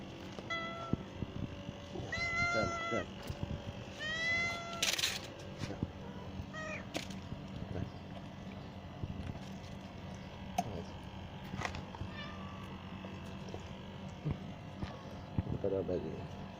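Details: Cats at a small nest of kittens in a garden, with the mother cat caring for her young; clear rising-falling harmonic meows around two to five seconds, then clattering, low background hum and scattered handling noises.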